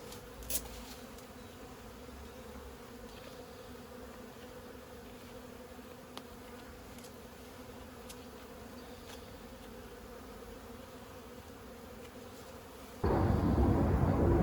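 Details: Honey bees from a 15-year-old hive being removed from a house: a low, steady droning hum with faint clicks, then a sudden loud broadband rush of handling noise over the last seconds.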